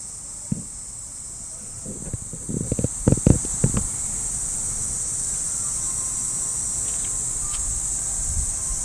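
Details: Early summer morning cicadas in a Japanese park keep up a constant high, shrill buzzing while a dog walk passes, with footsteps crunching loudly on the path midway and a low background rumble.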